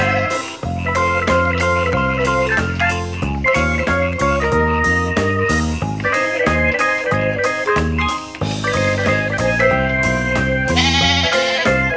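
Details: Blues-style slide guitar music plays loudly throughout, with no animal sound.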